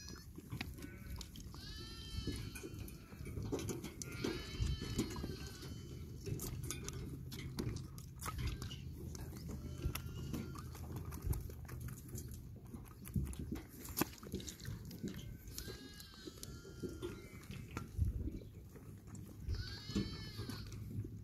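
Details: Baby goats playing bleat again and again, with bursts of wavering, nasal cries recurring every few seconds across the stretch. Scuffles, knocks and a steady low hum fill the gaps.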